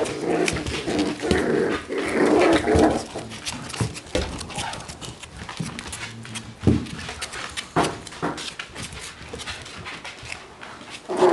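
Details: Four-week-old beagle puppies from a litter, indoors: tonal whimpering and grunting in bursts over the first three seconds, then scattered clicks, thumps and small squeaks as the pups move about.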